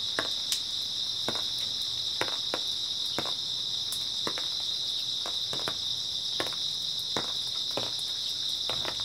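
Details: Grass insects on an early autumn night: a steady, dense, high shimmering chorus holds unbroken throughout, while sharp dry clicks or crackles break in every second or so.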